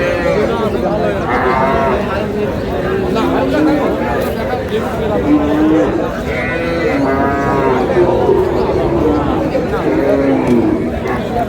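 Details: Cows lowing at a cattle market in Aftabganj, Dinajpur, Bangladesh, in August: long, harmonic moos rising and falling, several overlapping and repeated, over steady crowd chatter and people haggling over prices.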